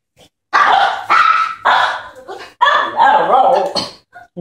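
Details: Two excited pet puppies react as a woman comes home: a run of loud, sharp yapping barks in uneven bursts, some drawn out and whiny, with a person's voice mixed in.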